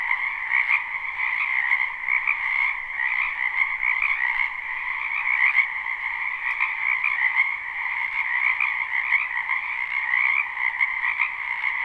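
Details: Spring wetland frogs in full chorus, a live unlooped recording from behind a house; continuous layered croaking trills at two pitch levels, gently swelling and fading, with no other clear sounds.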